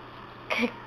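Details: A female Siberian Husky puppy, who gets hiccups every day, hiccups once, a brief, abrupt gulping squeak with a slight dropping tone, in an otherwise quiet room with faint background hum.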